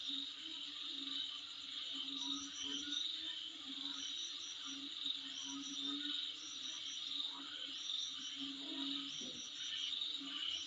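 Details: Night-style insect chorus outside a home: an unbroken high-pitched trilling hiss with clusters of faster ticking pulses near the top. A faint low drone and a few brief soft knocks are also audible.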